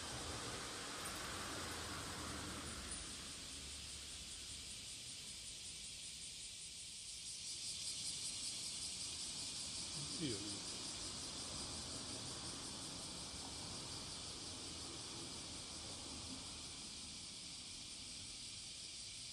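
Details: On the morning of July 30, 2017, at Passage de la Duee, a cicada sings to attract a mate: a high, hissing drone with a faint pulse, over low rumbling traffic-like noise and one brief click.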